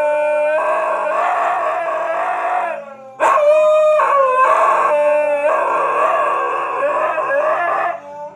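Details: Two huskies in Canada howl together to a piano in long, wavering, mid-pitched tones alongside piano notes.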